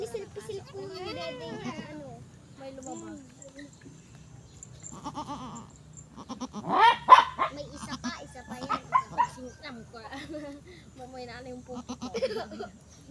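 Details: Goat that has just given birth, bleating with wavering, harmonic-rich cries in the first seconds, followed by louder mixed bleats and human voices speaking nearby through the middle and end.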